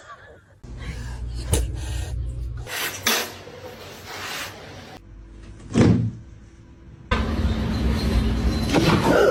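Indoor knocks, thumps and low hum with faint background voices and music, but no clear animal call.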